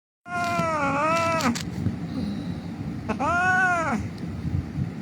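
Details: An injured cat lying on a street cries with two long, wavering meows, each about a second, separated by a pause, with low traffic rumble underneath.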